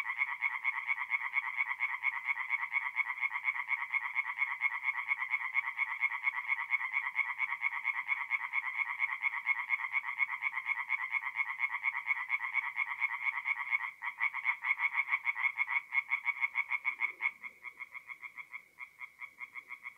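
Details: Tree frogs singing by night at a forest pond in north-east Italy, mid-April: a fast, even train of nasal pulsed croaks forming a dense chorus, thinning and faltering near the end into separate bursts.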